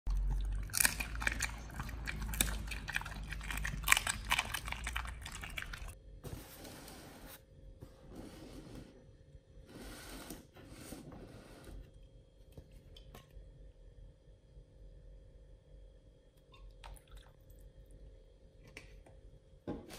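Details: Nomyen, a female Pit Bull, eats raw beef shank steak and a whole bull testicle for the first time as a B.A.R.F. meal. Dense, wet crunching and gnawing fill about six seconds, then quieter, scattered chewing continues over a steady low indoor hum.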